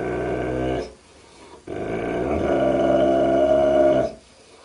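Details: Dog in a funny barking compilation gives a long, low, rumbling growl with a rich harmonic tone, breaking off briefly after the first second and then swelling into a sustained, steadier growl.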